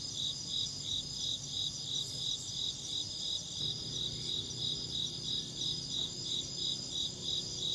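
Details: Steady chirping of an insect: sharp high pulses repeating about three times a second, unbroken, over a quiet low-frequency background hum.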